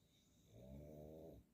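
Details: Sleeping pug snoring indoors, a single low rumbling breath with layered harmonic bands lasting about a second, in a quiet room.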